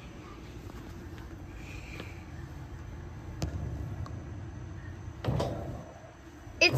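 Low background hum with scattered knocks, rattles and a sharp clank, but no clear animal voice.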